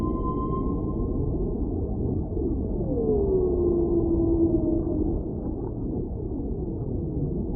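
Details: Whale voice: one long, drawn-out moan that swoops down and then levels off, preceded by a brief steady tone, set against a continuous low ocean rumble.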